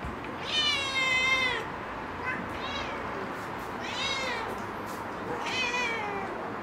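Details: Domestic cat by foxtail grass uttering four drawn-out, wavering meows with bright stacked harmonics, roughly every one and a half seconds, over faint steady background hiss.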